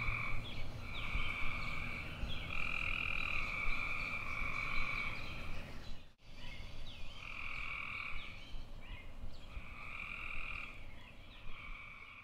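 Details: Tree frog calling in long, droning, buzzy croaks of one to two seconds, with short pauses between them. There is a brief dropout midway, after which the croaking continues at a similar pace against a faint low rumble.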